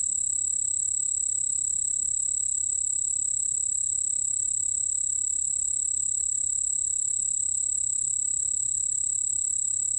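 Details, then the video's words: White-whiskered bell cricket singing, from the 2020 National Institute of Biological Resources collection: an unbroken, steady high-pitched trill with a fainter lower tone beneath, holding even throughout, over a soft low background hum. "흰수염방울벌레, 여러번 듣기, 곤충소리"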